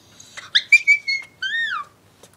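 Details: A female Shiba Inu in a kennel gives a run of shrill, whistle-like whines, one drawn out and bending downward at the end.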